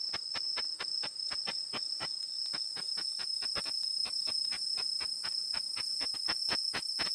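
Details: Ultrasonic calling of the katydid Tettigoniopsis ikezakii from Japan, converted to audible sound by a bat detector. Crisp ticking clicks repeat about twice a second in a fairly steady train, with a constant high-pitched detector tone behind.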